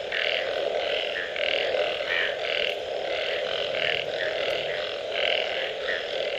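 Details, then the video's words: Frogs in a post-rain chorus: bursts of coarse, pulsing croaks come in quick succession, some louder than others, over a persistent low drone. "Unbelievable Frog Sounds after Rain"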